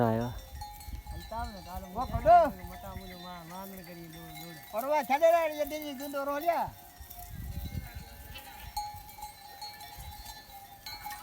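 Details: Goat at a goat farm giving long tremulous bleats, a wavering run near two seconds and another drawn-out quavering call from about five to seven seconds, over sustained background music.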